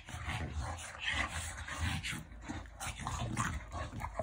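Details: A French Bulldog growls steadily during affectionate play: a dense, gravelly low rumble with short breathy surges and rustling movement underneath.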